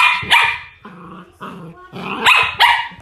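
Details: LaLa, a young female Sheltie, barks and growls during a ball game: bright, high barks at the start and end with lower rumbling growls between, while a person urges her to give up the ball.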